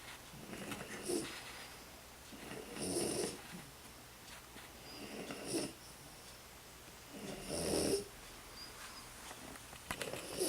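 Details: Sleeping French Bulldog, tired out, snoring in uneven rasping breaths roughly every two to three seconds, each a breathy, throaty rattle with a faint whistle, quiet room between snores.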